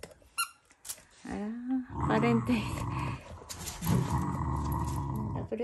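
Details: Shiba Inu growling affectionately, not in anger, while competing with a Labrador for its owners' love indoors; low rumbling growl with rising whiny notes over a person talking.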